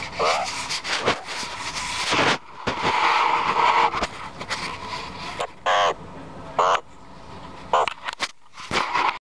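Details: Meerkats, former pets now very used to people and loving attention, give brief, harsh chirps and barks in quick bursts, several spaced about a second apart near the end; human voices and broad rushing noise fill the first seconds.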